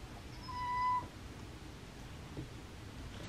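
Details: A single short cat meow, steady in pitch with faint overtones, lasting about half a second, then only low room hiss; taken from home footage of cats playing, recorded with natural sound.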